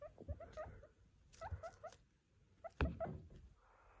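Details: Pet guinea pig in a dim bedroom in the morning, recorded from bed with an iPhone 14 Pro, comes to wake its owner before the alarm, wanting its breakfast of green pepper. It gives two quick runs of short chirping squeaks, with rustling and a thump.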